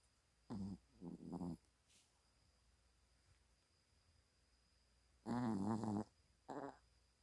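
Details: Sleeping pet dog that snores loudly whenever it sleeps: bursts of raspy, vibrating snores, three short ones close together, a pause of several seconds, then a longer snore and a brief one.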